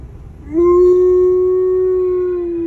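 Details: Alaskan Malamute, just back from a visit where a dog he knew had recently died, cries on the way home in one long, sustained howl, rising slightly then holding steady with rich overtones; a person speaks softly before and after.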